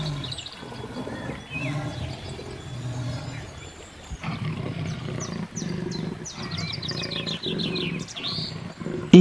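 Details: Jaguar in the Amazon rainforest, apex predator, after killing a caiman and dragging the carcass to the riverbank: deep, low, rasping roars come in repeated pulses about every second, with high chirping birds and a faint musical backdrop.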